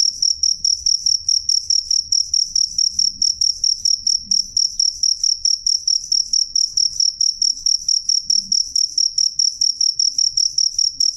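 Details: Jangkrik calling loud and clear: a continuous, rapid train of shrill, high-pitched chirp pulses with a steady, insistent rhythm and no other noises.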